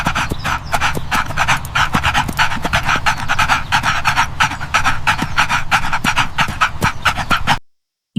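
A dog pants in quick, breathy huffs, about one and a half per second, over a low steady rumble, then falls silent.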